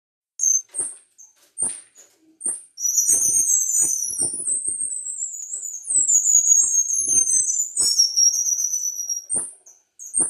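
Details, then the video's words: Himalayan striped squirrels (Tamiops macclellandii) in an aviary "protest" after being put back following cleaning: very high, thin squeaks and chirps, at first spaced, then in a rapid chattering run. "Tamiops Macclellandii squirrel sounds - versi scoiattolo"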